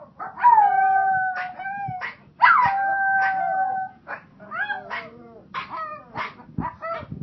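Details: Pomeranians howl in long steady tones with falling starts, followed by a rapid run of short broken yips and whines as the chorus breaks up.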